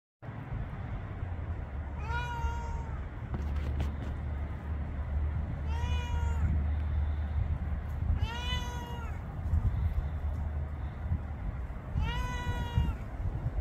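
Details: Roughly 11-year-old domestic cat in Florida meowing four times, each a drawn-out, slightly falling harmonic meow about two to three seconds apart, over a steady low hum.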